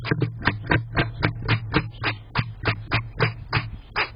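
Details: A chatty backyard squirrel barks in rapid, sharp chucks, about four per second, over a low steady hum.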